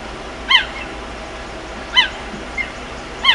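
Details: A cheetah mother calls her cubs frantically in the bush, giving sharp, bird-like chirps repeated every second or two.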